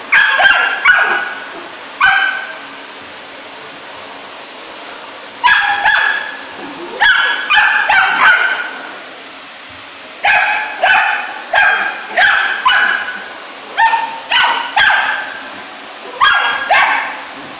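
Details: Rough Collie puppy, three months old, barks at the vacuum cleaner it hates; high, sharp yaps come in short runs with longer silent gaps between, some barks doubled or tripled in quick succession.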